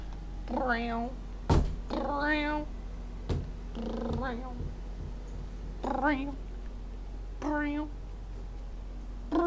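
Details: Smokie, a pet cat, meows again and again indoors: about six drawn-out, wavering meows spaced a second or two apart over ten seconds, some rising then falling, with a few knocks and thumps and a steady low hum underneath.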